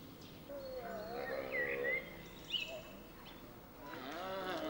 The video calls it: Wolvenroedel - Pack of Wolves howling - Canis lupus